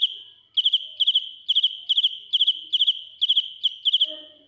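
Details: Close-up cricket (dế mèn) chirping loudly, ear-piercing: clipped trills of three to four rapid high pulses, repeated steadily about twice a second after a short quiet start; a faint low sound appears near the end.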